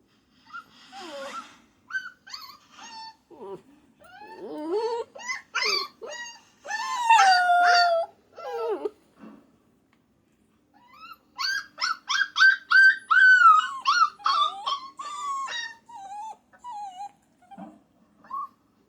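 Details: Rapid puppy yips and whines tumble together, break for a brief quiet spell, then resume as a fast run of high cries gradually sliding lower in pitch.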